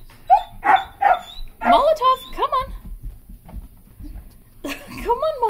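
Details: Irish Wolfhound puppy, eleven weeks old, climbing stairs for the first time: short whimpering yelps with wavering tonal whines in quick bursts, mixed with a person's encouraging speech.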